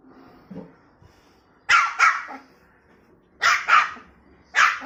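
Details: Angry snow-white puppy barks while stranded on a stool or sofa. Faint soft sounds at first, then loud yapping barks: two quick doubles about two seconds apart, then one more sharp bark at the end.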